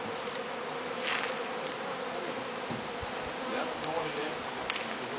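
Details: Honey bees at a real hive during honey harvest at Wellspring: a dense, steady buzzing hum with faint scattered clicks throughout.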